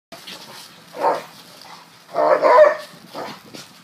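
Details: Two dogs, Bee and Furrball, romping in freezing cold weather; two short gruff barks or growly yelps stand out, the second longer and louder, between softer breathy sounds.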